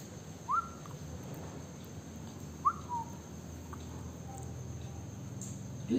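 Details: Maltese terrier crossed with Spitz puppy giving two short whistled whimpers, each rising and then sliding down, about two seconds apart, with steady low room hum between them and a faint third note near the end.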